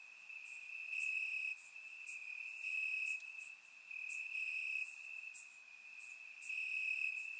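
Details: Crickets chirping in grass on a warm summer night in Bulgaria, recorded with a surround microphone: a steady high-pitched trill swelling in pulsed bursts every second or two, with faint higher chirps from other insects above.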